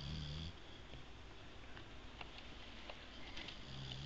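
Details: Sam, a boxer, American bulldog and Labrador mix dog, snoring heavily while asleep indoors; low rumbling breaths with a faint higher whistle at start and end, steady over four seconds in a small quiet room.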